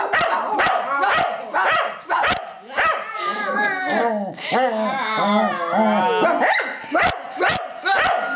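A Cocker Spaniel barks sharply, then breaks into a wavering, sing-song howl before barking again.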